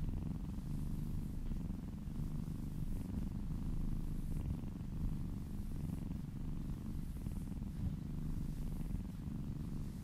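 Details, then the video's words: A kitten purrs while receiving a massage, close up; steady low rumbling vibration with rapid regular pulses and soft rising-and-falling loudness. "Purring kittens"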